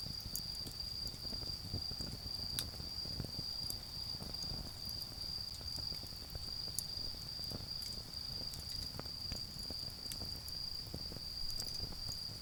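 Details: Autumn insects in a garden keep up a sustained high-pitched ringing while a bonfire crackles and pops loudly throughout, over a low rumbling background.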